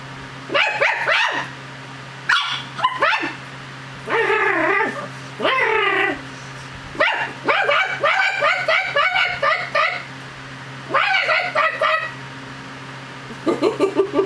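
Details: Chug acting like a dog while playing and fighting its owner's hand: a long series of wavering, throaty growls and yappy bursts, some in rapid strings, over a constant low electrical hum.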